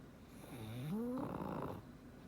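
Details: Black pug named Frank snoring contentedly in sleep, one drawn-out breath that rises into a whistled nasal tone, then a rougher rasping exhale fading away.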